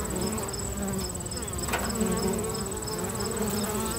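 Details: Low steady buzzing of busy bees at a local bee box, overlaid throughout by a shrill, rapid, pulsed chirping from another insect and a brief faint knock.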